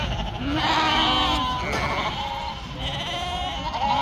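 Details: Sheep on a farm in northern Spain, with a yearling ewe in trouble; several overlapping wavering, harmonic bleats rise and fall across the clip, with a steady low background rumble.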